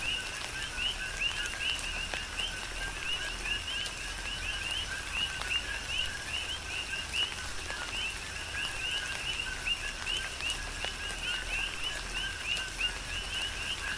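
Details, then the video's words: Big Island, Hawaii: a dense chorus of coqui frogs under tropical rain, with many overlapping rising chirps in a continuous high band and scattered raindrop taps over a constant rain hiss. "Tropical Rain & Coqui"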